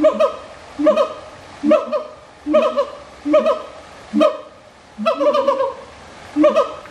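A siamang gives loud, resonant, barking hoots repeated roughly once every second.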